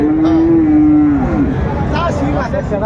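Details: Bull calf among Friesian and cross-breed young bulls at Raniganj cattle market, Dinajpur, Bangladesh, 2 January 2025: one steady, drawn-out low moo lasting over a second, then fading, over constant crowd chatter and bargaining voices.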